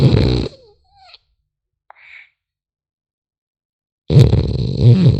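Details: French Bulldog puppy asleep indoors: two rough, low, rattling snores, one at the start and one about four seconds later, with near silence between apart from a faint brief squeak.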